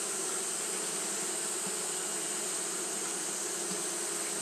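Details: Continuous drone of Japanese honey bees fanning in the heat, a flat, sustained hum with a steady high hiss overlaid and no distinct breaks.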